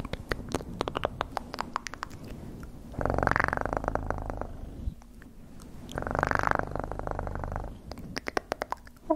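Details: Domestic cat purring in two low, rumbling bursts of about a second each, separated by quieter stretches full of sharp clicks and tapping noises.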